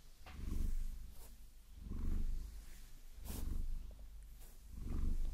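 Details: A Maine Coon called Vasilisa, who likes being massaged with long nails, gives a soft rumbling purr that surges with each breath about every one and a half seconds, with a few faint scratching ticks.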